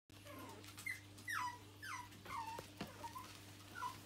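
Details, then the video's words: Red smooth Brussels Griffon puppies giving high, squeaky whimpers and short falling whines, several overlapping cries in quick irregular succession over a steady low electrical hum. "Red smooth Brussels Griffon puppies"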